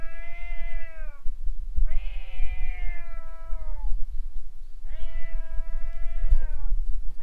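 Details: Street cats quarrelling by a boat before fleeing. Three sustained, wavering caterwauls of one to two seconds each, the middle one strained and rough, with short gaps between and a steady low engine-like rumble underneath.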